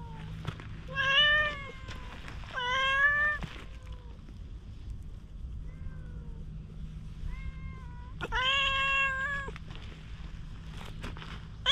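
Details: Wary stray cat slowly warming to being groomed with a cat brush, captured on a GoPro HERO8: a series of five plaintive meows, two fainter and shorter, the last loud and prolonged, with a steady low hum behind them.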